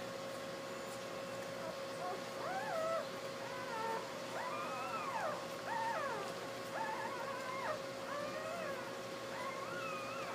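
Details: Newborn Basset Hound puppies on their birth day, a litter of ten (two females, eight males) lying with their tired mother; thin, high whimpering squeals rise and fall in several overlapping cries over a steady electrical hum.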